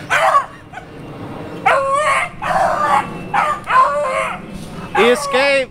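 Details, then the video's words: Beagles treeing a squirrel: loud drawn-out howling bays with strong harmonics, several in a row roughly a second apart, some rising then falling, mixed with a person shouting nearby. "Beagles Tree Squirrel"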